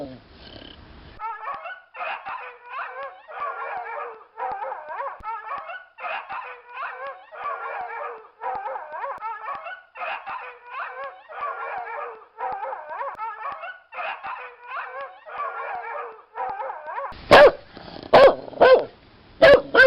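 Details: Dog howling in rhythmic wavering bouts repeated roughly every second, a brief low sound at the very start, then loud sharp barks near the end.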